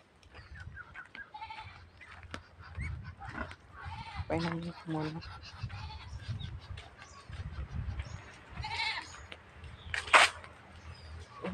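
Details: A very thirsty goat in the Philippine countryside, about to be given water, gives a drawn-out, wavering bleat midway through, with Tagalog speech, rustling and handling noises around it.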